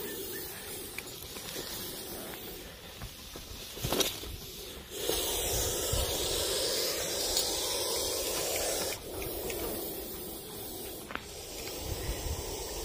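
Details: Russell's viper (ghonas), a venomous snake that coils up when irritated and hisses loudly like a pressure cooker whistle; low rumbling handling noise, then a steady, loud broadband hiss lasting about four seconds, with scattered knocks and thumps.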